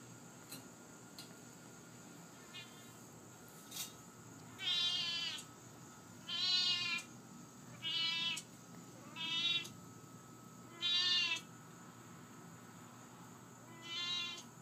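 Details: Lily, a talkative Siamese cat, gives a run of six loud drawn-out meows about every one and a half seconds, each nasal and slightly wavering, while a woman coaxes her and calls her a big mouth; faint steady hum behind.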